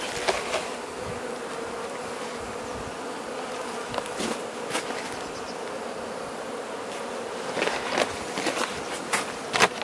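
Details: Carniolan honey bees wintering in a hive in southern Finland, fed by the Mountain Camp method in mid-March at +3 C; a constant mid-pitched buzzing hum with scattered clicks and scraping near the end.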